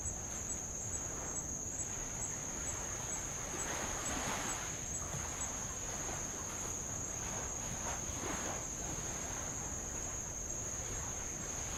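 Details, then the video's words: Tongan insects recorded from a row around Avalau island, Kingdom of Tonga, on old lava: an unbroken high-pitched whining trill holds steady, with light waves washing in soft surges every couple of seconds. "sound of light Waves on old lava and Insects"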